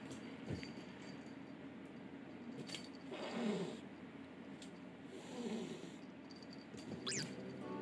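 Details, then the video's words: A short-legged female Minuet cat hisses repeatedly in sharp, breathy bursts, threatening a newly arrived female Scottish Fold kitten that keeps trying to get her attention. "【威嚇連発回】新入り子猫に容赦ないミヌエット猫 Minuet cat threatens kitten."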